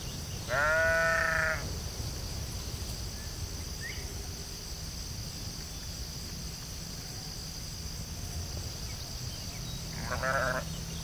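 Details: Sheep in a field giving a loud, wavering bleat near the start, then a quieter, shorter bleat about nine seconds later, with a steady high outdoor hiss filling the gaps.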